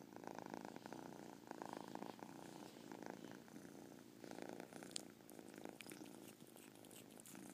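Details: Caspurr, a pet cat, purring steadily with a chirp heard within the purr; low rumbling pulses in long breaths, with a brief sharp high click near the five-second mark.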